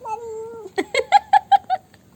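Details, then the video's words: Domestic black cat making funny noises after having Dairy Milk chocolate: a steady drawn-out tonal note, then a quick run of six short, clipped chirping calls about a fifth of a second apart, fading at the end. "My cat makes funny noises after having dairy milk chocolate"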